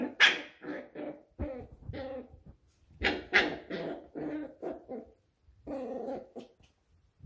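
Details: Pembroke Welsh Corgi puppies of one litter playing together: short growly play barks and gruff grumbles in irregular bursts, several louder yaps standing out, with brief quiet gaps.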